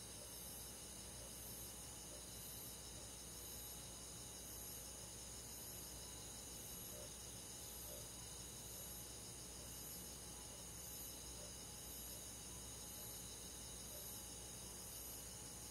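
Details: Rural summer night with crickets and other insects, a continuous shimmering chorus of high trills and evenly spaced faint chirps, no other animals standing out, over a low steady background noise.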